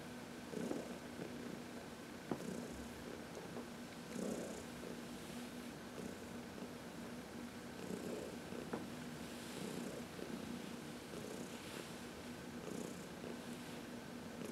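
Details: Massaged in the sun on March 19, 2021, 14-year-old adopted cat Heidi purrs steadily in contentment; repeated low throbbing swells recur every couple of seconds, with a few faint clicks between.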